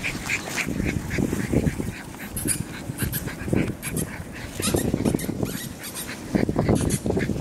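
English Bulldog puppies make low, snuffling grunts with occasional higher squeaks in short bursts.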